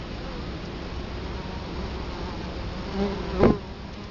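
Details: Italian honey bees buzz at a hive entrance in Colorado Springs, October 2011, with the camera right in front of the hive; a steady low droning hum, then one bee passes close near the end with a louder, rising buzz.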